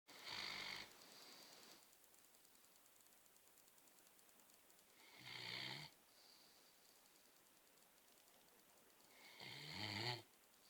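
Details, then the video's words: Great Dane snoring in a quiet room: three rasping, breathy snores, each under a second long and spaced about four to five seconds apart, with near silence between them. "Deutsche Dogge schnarcht"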